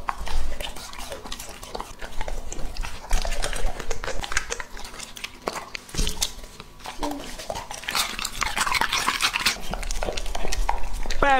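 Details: Close-up ASMR feeding of Lucky, a two-and-a-half-year-old male English Labrador Retriever over 70 jin; steady wet chewing and crunching bites, a louder rustling crunch burst near the end, then a brief high squeaky tone.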